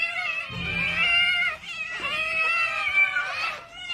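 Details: Hungry domestic cats at feeding time give loud, sustained, harmonic meows, long wavering cries that rise and fall in pitch and overlap almost without pause over four seconds, with a low rumble beneath.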